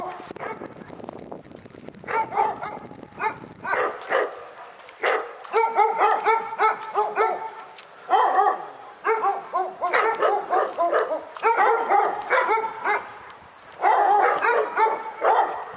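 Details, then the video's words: Low rumbling noise opens, then a dog launches into long runs of rapid, harmonic barking, several barks per second, pausing briefly between volleys before resuming louder near the end. "Pyrga Barking Nightmare 18"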